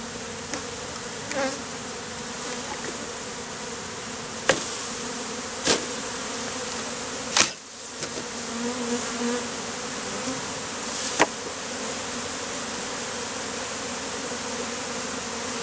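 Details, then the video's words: Honey bees worn as a beard on a man's face after being hived out of a statue; continuous dense buzzing hum, broken by several sharp clicks and one thud midway. "BEARD OF Honey BEES"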